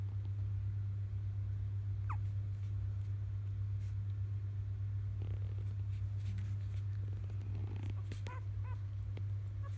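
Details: Three-day-old field-type Labrador Retriever puppies at evening nursing time, a litter born to biscuit, 2017 JFA grand champion; one brief rising squeal, then a quick cluster of short high squeaks, over a steady low hum and soft clicking, rustling sounds.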